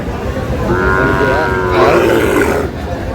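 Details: Sahiwal bull calves at a Sylhet purchase, 22 May: a sustained, level, tonal bellow of about a second, followed by rougher lowing, with people bargaining and talking throughout.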